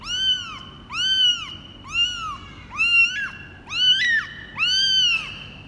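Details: Cambodian kitten, 24 days old, born to former stray Laki, calling during its first weight check on 24 January 2020: six shrill, arched meows at roughly one per second, steady and insistent, with little other sound indoors.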